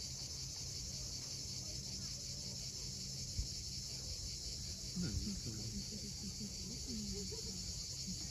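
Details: Cicadas calling at sunset above the sea at Cape Fiolent, Crimea, a level high-pitched buzzing drone, with waves rumbling low, a sharp knock midway and soft wavering low sounds in the second half.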